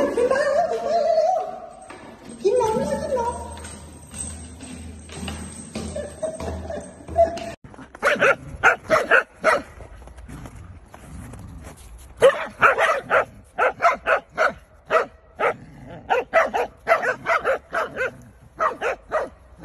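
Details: A pet Corgi barks in a rapid run of short, punchy yaps, roughly two per second, irregularly spaced. Speech and music come first, before the barking takes over.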